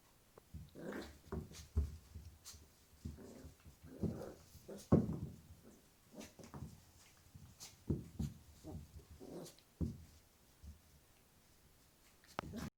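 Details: Jack Russell Terrier puppy named Lily playing and growling indoors: low rough growls in short bursts, some sharper yaps and whimpers, uneven rhythm across the clip.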